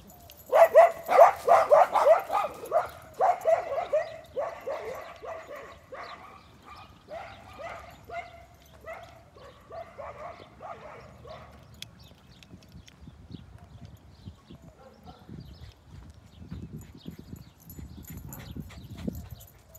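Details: Several pet dogs chasing a baby donkey bark in a rapid, uneven volley of sharp barks for about twelve seconds, loudest at the start, then fading into quieter rustling and low thumping.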